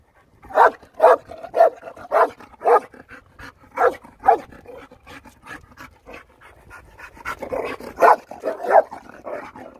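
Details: Panting dog at Argostoli, Kephalonia, harassing Caretta caretta loggerhead turtles: loud rhythmic breathy puffs, roughly two per second, a quieter run of quick pants mid-way, then another loud cluster.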